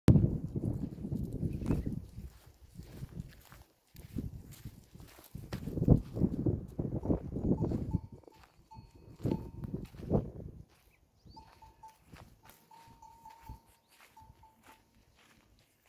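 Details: In the desert, a lost camel calf gives low, rough bleating moans, calling for its mother before a heartwarming reunion.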